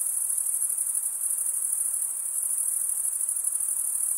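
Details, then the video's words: Crickets chirping through stridulation, wings rubbed together by the males: a bright, sustained, finely pulsed high trill running evenly from start to finish with light hiss underneath. "Most relaxing cricket sound"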